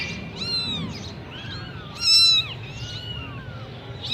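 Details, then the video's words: Persian kittens of the Sami Punch type in Gujranwala, Pakistan, giving thin, high arched mewing calls that overlap one another, with a louder squeal near the middle over a low steady hum. "Persian Sami Punch Kitten"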